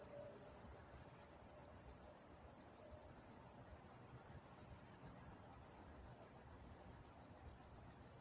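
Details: High, shrill cricket chirps pulsing steadily through the night in Walnut, California, a continuous ringing trill with gentle rhythmic swells and quiet background murmur.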